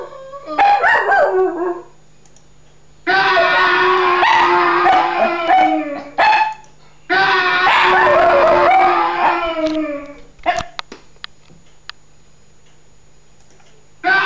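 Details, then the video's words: Dog howling to sound effects: a brief opening yelp-like howl, then two long dense bouts of wavering, strongly harmonic howls, followed by scattered short clicks and a final burst at the end. "Funny Dog howling to sound effects"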